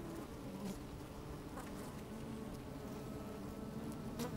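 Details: Low, continuous humming of honey bees working inside an opened hive on a sunny, slightly windy day. The drone holds steady throughout, with a brief higher buzz near the end and soft crackles as bees shift about the microphone.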